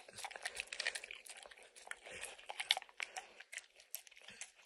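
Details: Max, a dog, licks peanut butter and kibble stuck in an orange mat indoors. Dense, rapid wet clicks and smacks come in bursts, with a few crisp crunches from the kibble. No voices.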